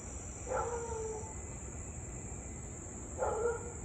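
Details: Husky barking and howling in Louisville on an August 3, 2021 evening, nearly 30 minutes straight. Two drawn-out, yelping cries, the first about a second long and gently falling, heard over continuous high insect buzzing.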